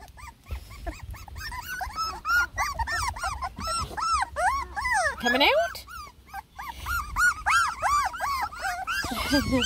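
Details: Whining litter of ten lemon and tricolor Beagle puppies, first time trying food, fussing with dense overlapping high arched whimpers and squeals, steady throughout, plus faint rustling.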